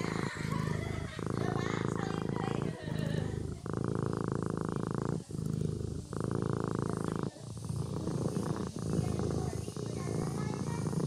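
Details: Sleeping kitten purring close up, a steady low rumble in long alternating phases, each breath phase lasting about one to one and a half seconds with brief pauses between.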